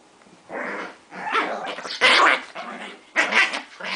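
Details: Two dogs, Jaxon and Bowie, tussle over their crab plush toy until Jaxon gives up to Bowie. Harsh, raspy growling snarls come in five loud bursts of about half a second each, separated by short quiet gaps.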